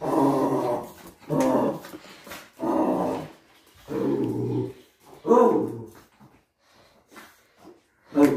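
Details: Chihuahua growling indoors after being pranked with a ghost mask: low, rough rumbling growls in bursts about a second long, roughly every second and a half, fading to quieter snarls near the end.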